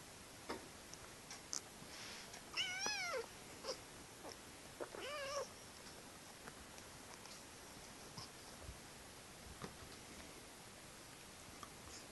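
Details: Playful kitten, day 48, indoors in a small room: two short wavering, harmonic-rich cries, the first longer with a quivering pitch, the second brief about two seconds later, among scattered clicks and rustling from play.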